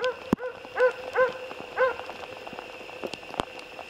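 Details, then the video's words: Jämthund barking during a moose hunt outdoors, four loud, clear, ringing barks in quick succession within two seconds, then quieter knocks and faint rustling. "Älgjakt med jämthund"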